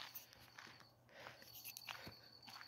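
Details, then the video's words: A cricket sings a steady, high, thin trill near a pond during a light-trapping session, with frogs audible nearby, behind crunching footsteps and handling noise. "So you can hear the cricket."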